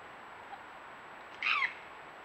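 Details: Red fox uttering a single harsh, high, slightly descending scream-like call lasting under half a second against a quiet, hissy background.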